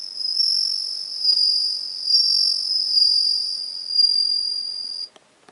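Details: Bell cricket, recorded 17 September 2021, producing a continuous bright ringing trill that swells and fades gently for about five seconds, then cuts off, followed by a few faint clicks.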